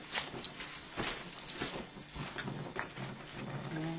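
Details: Dog during a fight, low rumbling growls under scuffling noise, with a human voice breaking in over the scrap.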